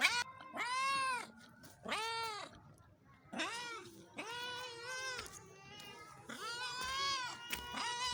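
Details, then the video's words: Pakistani cats meowing: repeated plaintive meows, some long and wavering, with voices overlapping in the second half as more than one cat seems to call at once. "Pakistani Cats Meowing"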